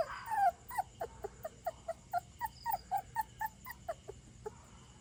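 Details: Stray puppy, possibly a retriever, wandered in late at night and taken in, whimpering: one longer wavering whine, then short high yips repeated roughly three times a second, over steady background noise.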